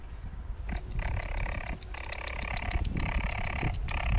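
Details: Young raccoons, whose mother was previously removed, churr in rough, buzzy bursts broken by brief pauses as they are called out for removal, over low rumbling background noise.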